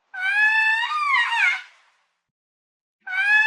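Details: Lemur giving a long, loud, wavering wail that falls at its end, followed after a pause by the start of another similar harmonic cry; nothing else audible between calls.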